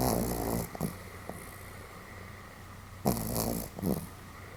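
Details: Sleeping Pomeranian Sam, recorded 31 July 2015, gives fairly loud snores: short grating snorts with a low throaty rattle, clustered in pairs about three seconds apart, with a constant electrical-sounding hum underneath.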